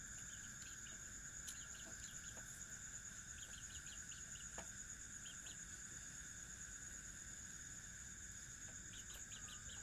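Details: Cricket sound, steady high ringing tones under short, quick chirps grouped in rapid bursts of three or four, repeated irregularly, with faint clicks and a soft background hiss.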